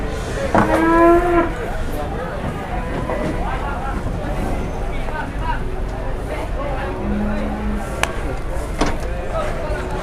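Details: Cattle being loaded onto or unloaded from a truck in Indonesia, 2021: one short, strained moo near the start, then engine drone, scattered clanks and people talking.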